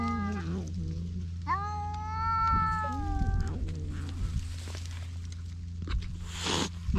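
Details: Cat-island stray cats fighting over one fish, GoPro HERO8 recording: a short whining yowl, then a long, steady, tense wail of about two seconds with a falling tail, followed by scuffling and quieter background noise.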